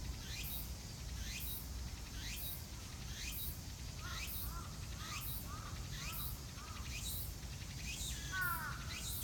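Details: Cicadas in Shinjuku Gyoen, 24 September 2018: sharp, hissing sweeps repeated about once a second, with short, soft, lower chirping notes from a bird in the middle and end.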